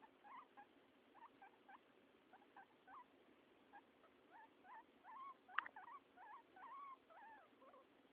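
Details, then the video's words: A male guinea pig gives short, rapid squeaks and chirps in quick bursts. "My Guinea Pig Making cute noises"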